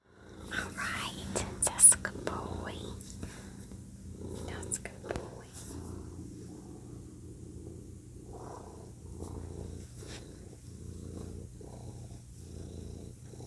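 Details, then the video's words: A male pet cat purring close up indoors. A soft, low, rumbling purr pulses steadily through the clip, with whispering and small rustles over the first few seconds. "Cat Purring | Low Frequency Short Sound Bath of my Cat Purring | Cat Purr 27 hertz"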